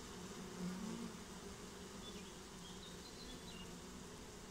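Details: Swarm of honeybees taking a new home, steady massed buzz with a single bee's louder passing drone near one second and faint thin high chirps around two to four seconds.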